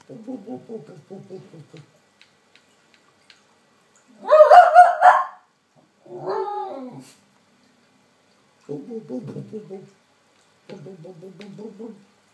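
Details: Snowy, a female West Highland White Terrier, reacting to playback of her own recording. Low, wavering howl-like whines come in stretches, broken by one loud, harsh bark near the middle and a shorter yelp after it.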